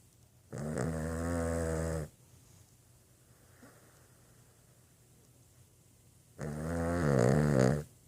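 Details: Boston Terrier snoring: two loud, harmonic, buzzy snores about five seconds apart, each lasting over a second, with softer breathing between them and a faint steady hum.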